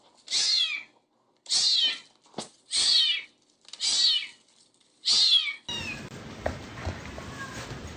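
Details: Kitten meowing insistently: six loud, strained meows in quick succession, roughly every second, followed by a burst of broadband noise with faint background sounds.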